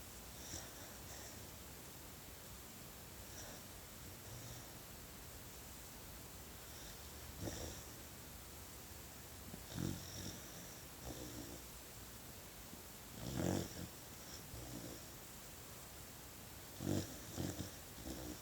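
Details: Puppy asleep, snoring in soft, irregular bursts a few seconds apart, each a brief low rasp, the loudest near the middle and the end, over faint room noise.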